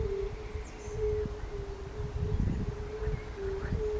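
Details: Fire-bellied toads at the palace pond in Bukowiec, Rudawy Janowickie, recorded 20 May 2019: soft repeated low hoots merge into an unbroken humming band. Rustling low noise and a few thin high bird notes sit behind it.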